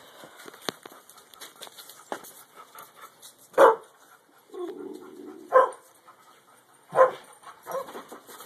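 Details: Alaskan Malamute puppy standing up to his father: three sharp barks spaced a second or two apart, with a low grumbling sound between them and faint clicks and rustling in the background.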